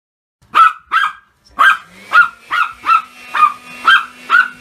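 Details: Pomeranian dog barking excitedly at a vacuum cleaner indoors: nine sharp, high yapping barks, two spaced openers then seven in quick regular succession about every half second, with a steady low machine hum starting partway through.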